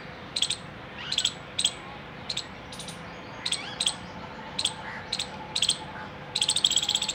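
A squirrel gives sharp, high chips every half second in an alert call, quickening into a burst.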